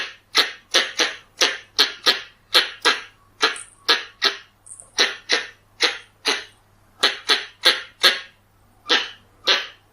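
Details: Pallas's squirrel calls, recorded for use as a hunting lure: harsh, noisy chucks repeated in a steady run, about two per second, each a short broadband burst, with a faint low hum beneath.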